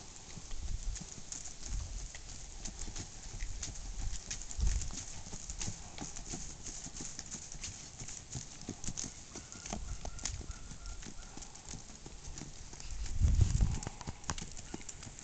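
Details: Tennessee Walking Horse stallion moving along, its hooves giving a steady run of uneven clopping thuds with crisp clicky strikes, several louder heavy footfalls standing out, against a low continuous background hum.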